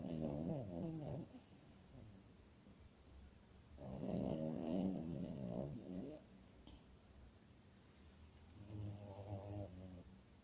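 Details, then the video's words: A French Bulldog snores while asleep: three raspy, rattling snore bursts, each about two seconds long, spaced several seconds apart with soft breathing between them. "храпит(французский бульдог)"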